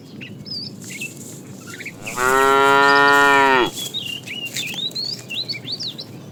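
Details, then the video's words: Herded tame cows heading out in the morning to grassy fields: a single steady, strongly harmonic moo of about one and a half seconds, surrounded by chirping birds. "Funny cow sounds"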